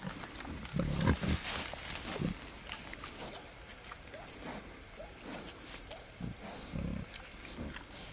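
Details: A male wild boar courts a sow in the wild, with deep rough grunts: a loud burst near the start, then scattered softer grunts later. Rustling and scraping run throughout.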